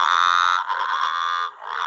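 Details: A Growling Grass Frog, a late-spring and summer caller of wetlands, calls at night with a sustained, harsh, buzzing growl that rises and falls like a dirt bike engine, running over a second, dipping, then restarting. Southern bell frog.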